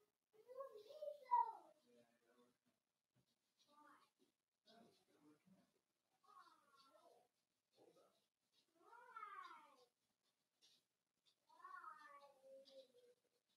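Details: Four-week-old Cavalier King Charles Spaniel puppies in an indoor puppy pen, meeting other dogs and trying puppy mash, give a series of short, wavering, nasal whimpers. The whines rise and fall and come in bursts about every one to two seconds, with quiet gaps between.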